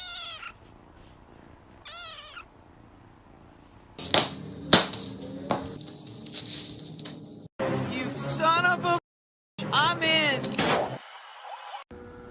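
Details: Domestic cats in a funny compilation of short edited scenes: rising-falling meows, two brief ones early, then a run of strained, wavering meows in quick succession, cut between with background music, thumps and other noises.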